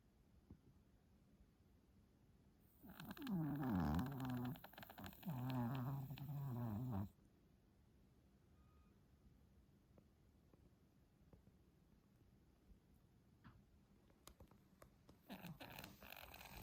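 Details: Stella, a ten-month-old Pomeranian, snoring in her sleep indoors; she began snoring after a reverse-sneezing episode. A raspy, wavering, harmonic snore lasts about four seconds, followed by quiet room noise and faint clicks.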